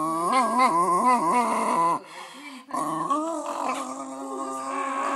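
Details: Patterdale Terrier male singing: rounded, wavering howls with rich harmonics, several short rising-falling notes then a sustained tone, a brief pause, then a long drawn-out howl; faint background music.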